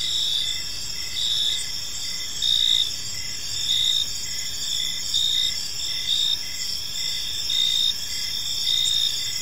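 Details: Crickets chirping on an evening in a peaceful park, a dense chorus of high, shrill pulses repeating steadily, layered over a constant insect hum with faint low background noise.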